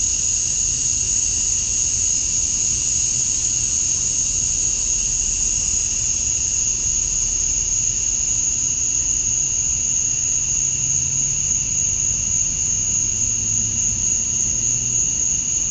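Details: Many male cicadas singing to attract females at summer dusk in Georgia, USA: a relentless high, metallic whine with a lower buzzing layer, flat and continuous, above a soft low rumble.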